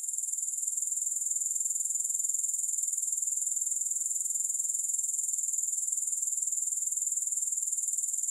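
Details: Grasshoppers chirring steadily with no music: a dense, high-pitched shimmering hiss held at one pitch, finely pulsed about four times a second, unbroken throughout with no other sounds.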